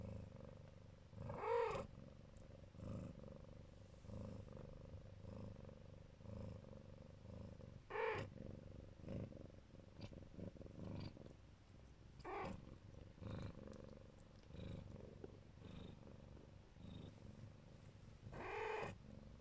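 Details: Protective Siberian Neva Masquerade queen with her kittens purrs in a low, continuous rumble, with a few brief, higher, harmonic chirping calls scattered through it.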